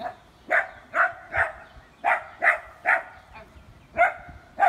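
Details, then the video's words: Dachshunds in a playful scuffle give a rapid series of sharp, gruff barks and growling yaps, about nine bursts in under five seconds at uneven intervals. "Dachshunds having a scuffle"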